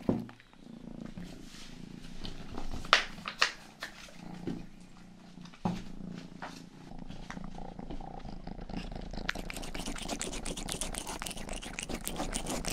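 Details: A soft, deep purr from Rangi, the youngest household cat, with scattered thumps and taps near the binaural mic early on, then a denser hiss of close rubbing over the ongoing rumble.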